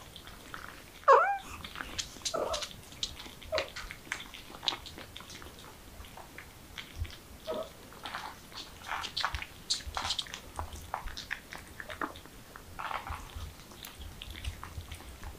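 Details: Domestic cat in a funny pet compilation giving one short, loud, tonal meow near the start, followed by scattered soft clicks, taps and rustling indoors with no further clear calls.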